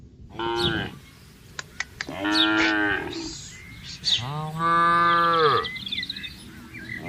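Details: Tame herded cattle in a spacious pasture calling the herd together: three moos, short then longer, the last a deep sustained low moo, with bird chirps and clicks in the background.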